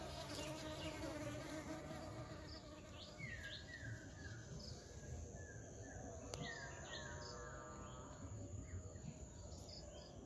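A low, steady bee buzz hums beneath short descending bird chirps and a thin high insect whine.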